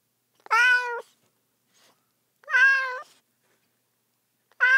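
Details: Three cat meows at steady two-second spacing, each bright and nasal with a flat, slightly wavering pitch, the last one cut off at the end; nothing else audible.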